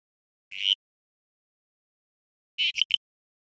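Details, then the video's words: Frog voice carrying its emotional arousal: one short, harsh high-pitched chirp, then about two seconds later a quick run of three clipped pulses, all in silence. "Can you tell how this frog is feeling just from his voice?"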